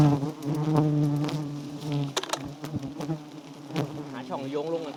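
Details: Giant honey bees of a small wild nest with white honeycomb. A dense, low, even drone sounds for the first two seconds, then fades under clicks, taps and a brief human voice.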